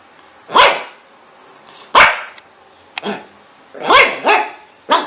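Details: Dog barking, meant to scare cats: five sharp, loud barks spaced unevenly over five seconds, some doubled, with quiet pauses between.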